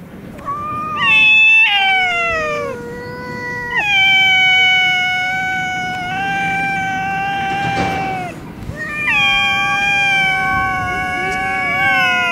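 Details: Stray cats brawling on a street in Russia produce overlapping, harmonically rich yowls that rise, hold and bend downward, a near-continuous exchange of long wails with brief breaks and a sharp knock midway.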